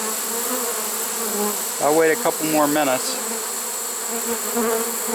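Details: Late-season honey bee swarm in a swarm trap, September 2019: a continuous droning buzz of many bees, briefly overlaid by a man talking for about a second in the middle.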